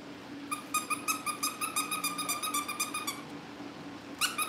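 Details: Several Cavalier King Charles Spaniel puppies kept indoors at a breeder's family home, shown on a livestream ahead of pick-ups. A quick string of thin, squealing yelps runs for about three seconds, then a pause, then a short rising squeal. Faint hum underneath.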